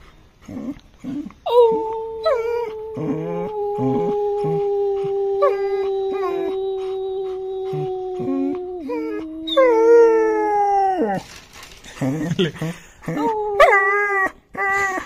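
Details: Long-coated German Shepherd puppy, five months old, howling at a sound that irritates it: one long steady tone sustained for about seven seconds, followed by shorter dropping howls, with a person speaking in between.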